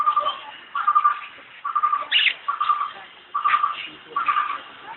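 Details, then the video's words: At Alipore Zoo in Kolkata, India, a cheetah gives short, bird-like chirps, repeated roughly every second, with faint voices behind. "Vocalizations of the cheetah ,,Alipore Zoo,Kolkata,India"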